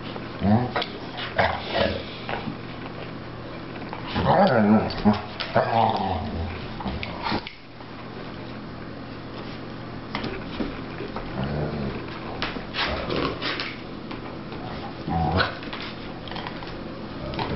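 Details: Sussex Spaniel puppy Jackson, 15 weeks old, pestering basset hound Murphy to play on Murphy's fifth birthday, 19 February: bursts of rough growling and whiny yelps in uneven runs, broken by short quiet gaps, with some human speech.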